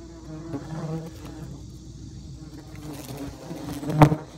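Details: Bald-faced hornets at a nest in the soffit of a home in Great Neck, Long Island, New York, during nest removal; a low droning hum with overtones, strongest early on, then a sharp knock near the end.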